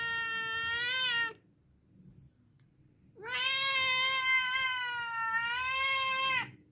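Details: House cat giving a short meow followed, after a pause, by a long, loud, sustained meow over three seconds that starts with an upward slide and holds a steady tone, over a low hum.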